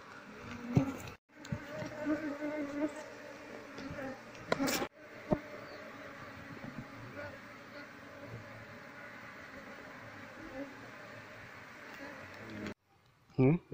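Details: Asian honey bee (Apis cerana) colony being searched through to find its queen, so the wild bees can be moved into a cultivation box. A steady, low droning hum fills the recording, with handling knocks and a few brief silent breaks.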